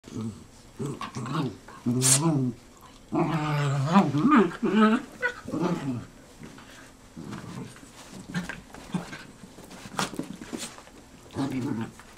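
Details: Two black and tan dachshund brothers, Manny (4, with squeaky toy) and Franky (just over 1), rescued from Georgia, talking after wrestling: wavering, moaning growls and grumbles in irregular bursts, some rising and falling whine-like tones, an occasional sharp squeak.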